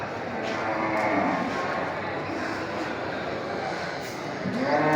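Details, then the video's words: Female water buffalo in a market call to their companions with low, drawn-out moos over a dense, noisy market din. "the sound of buffalo cows in the market calling their friends"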